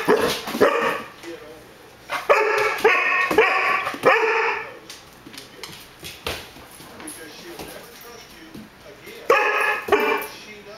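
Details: A Rhodesian Ridgeback puppy tries to get a Border Collie to play, and finally succeeds. Harmonic barks and yips come in uneven bursts near the start, around two to four seconds, and at the end. Human voices can be heard at times.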